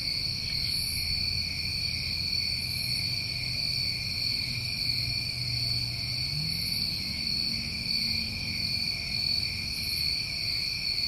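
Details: Chorus of New England summertime crickets: steady, continuous shrill trilling bands, with brief higher buzzy bursts every couple of seconds and a faint low hum underneath.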